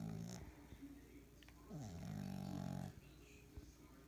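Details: French Bulldog puppy snoring loudly indoors, a low droning snore with a falling start, held about one second, amid quieter breathy snorts and faint room sounds.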